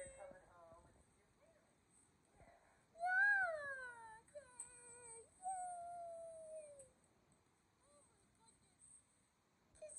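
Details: Kumo the Keeshond and Sully the Boston Terrier whimper with excitement as their owners arrive home from vacation. After soft opening sounds come a long, wavering cry that falls in pitch and then a steady drawn-out whine, inside a small room.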